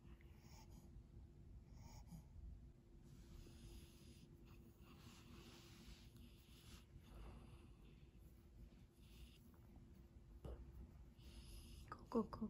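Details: A French Bulldog puppy snores in its sleep with low, rough, snorting breaths.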